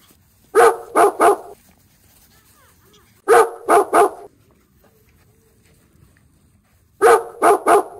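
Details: Dog barking in tight groups of three sharp, loud barks, each group coming about every three seconds, with a quiet background between the bursts.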